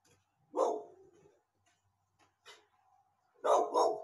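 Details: Guard dog, a female, barking at people: one sharp bark, a pause of nearly three seconds with a faint short bark, then two quick loud barks in close succession.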